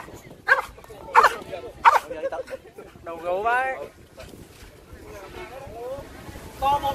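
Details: At a French Bulldog owners' meetup in Yen So park, Hanoi, three loud, quick barks open the scene. Vietnamese conversation and a drawn-out voice then take over.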